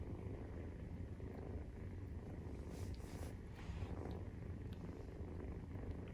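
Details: Maine Coon kittens at 43 days old purring while nursing; a steady, low rumbling purr holds without a break, with faint clicks and small rustles above it.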